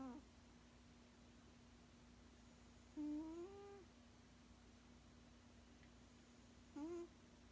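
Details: Sixteen-year-old male cat, sleeping indoors, with short nasal humming snores: a faint one at the start, a rising one around three seconds and another near seven seconds. A quiet room tone with a constant low hum continues throughout.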